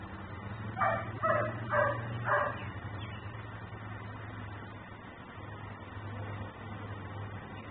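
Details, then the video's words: Dog barking while left outside in Mecklenburg, recorded by a camera: a fast run of four barks in under two seconds, followed by several seconds of quiet with only a low humming background. "Barking dog"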